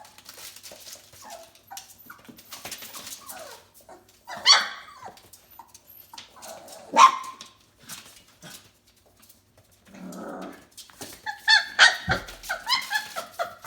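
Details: Playing F1B Bernedoodle puppies, four weeks old, letting out brief squeaky yips and soft whimpers, with a cluster of quick high yelps near the end and light rustling between.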